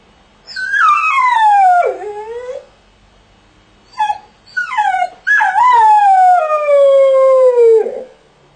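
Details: Two mournful howls from a dog shut in a crate, each sliding steadily downward in pitch. The second is longer, with a short broken whine between them.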